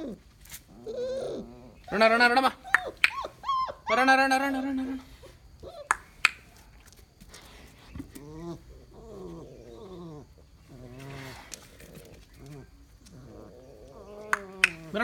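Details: First meeting between Mudhol Hound puppies, born 11 January 2019, and their family dogs, including an excited Great Dane. Loud, high, harmonic whines and squeals come in bursts, then softer, wavering whimpers repeat, with occasional human voices.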